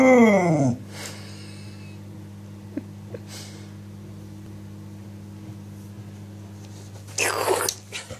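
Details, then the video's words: Clumber Spaniel giving a "woo woo" indoors: one brief, loud howling tone that slides downward with rich overtones, followed by a steady electrical hum and a burst of rustling near the end. "Clumber Spaniel woo woos!"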